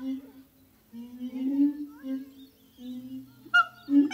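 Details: Captive siamang gibbon pair at Zoo de La Fleche, hot summer morning, 6 August 2018: mostly deep, drawn-out booming hums with slight rises, and a short loud bark near the end.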